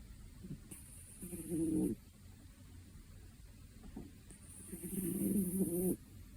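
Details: A two-year-old cat snores while asleep. Two soft, rasping breaths each last about a second and are separated by a quiet pause. Faint high hiss can be heard above them.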